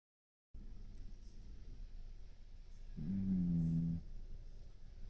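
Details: Brown tabby domestic cat snoring while asleep with its eyes open: a single low, droning snore lasting about a second, set against a quiet indoor hush.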